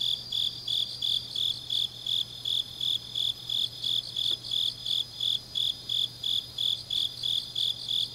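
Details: Changnyeong, South Korea, autumn night: grass insects give crisp high chirps in a regular rhythm of about three per second, over a steady wash of fainter insect song, a low hum, and one brief faint click midway.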